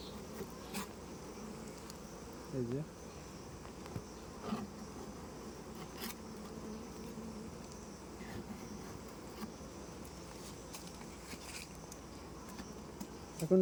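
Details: Honey bees in a packed transport box as it is opened and cleaned, with a steady low droning hum throughout, occasional clicks and knocks from handling, and brief faint speech.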